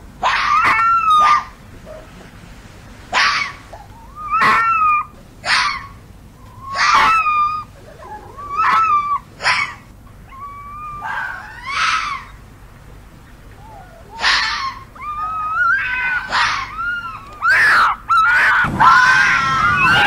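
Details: Fox screaming in short, separate bursts: harsh, broadband shrieks with wavering tonal cores, spaced one to two seconds apart, growing denser and more strained toward the end, in a quiet setting.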